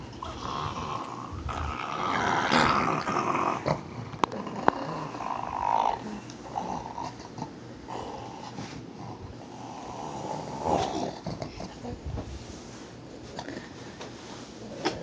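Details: A pug growling while guarding its bone. The rough, rumbling growl comes in waves, strongest in the first six seconds and swelling again near the eleventh, with a few sharp clicks and handling noises in between.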